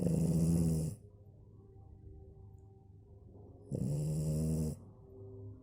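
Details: French Bulldog Maya asleep and snoring: a rasping snore at the start, a quiet pause of nearly three seconds, then another loud buzzy snore.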